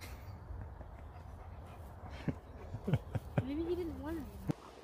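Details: Sherpa, an Alaskan Malamute, gives one drawn-out, wobbling moan lasting about a second, preceded by a few sharp knocks and thuds against a low background rumble.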